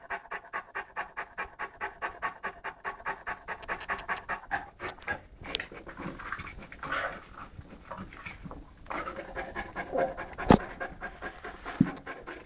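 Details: Eleven-month-old Saint Bernard Lara at play with a pygmy rabbit; quick even panting for the first seconds, then looser, rougher breaths mixed with handling noises and two sharp knocks.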